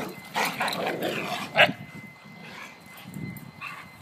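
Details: Dogs playing together by a new fence, three animals including a five-month-old, give a few sharp barks near the start and another loud bark mid-clip, with softer rustling and low noise between.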